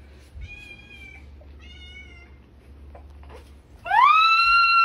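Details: Cat held high in the Philippines while catching a spider: two faint, thin mews early on, then a loud, drawn-out meow rising in pitch and holding steady to the end, with brief speech nearby.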